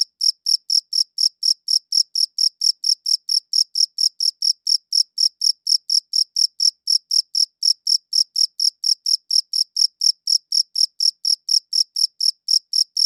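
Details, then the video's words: Cricket chirping in a high-quality recording: short, bright pulses repeated steadily about twice a second, each with a strong tone and a fainter higher overtone, with no other sounds behind them. "Cricket Chirping Sounds"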